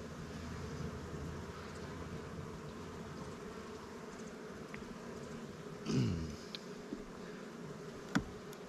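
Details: Continuous honey bee hum from an opened hive while heavy honey frames are taken to help new swarm captures; a dull knock of equipment and a few small clicks interrupt the droning.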